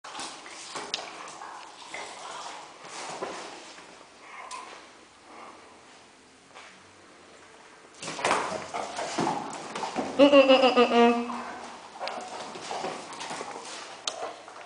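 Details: A Weimaraner pestering a Hungarian Vizsla indoors gives a brief, wavering, high whining yelp after quiet rustling.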